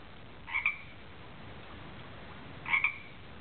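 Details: Tree frog that lives in a garden pond, singing: two short, bright double-noted calls about two seconds apart, over a quiet background hiss.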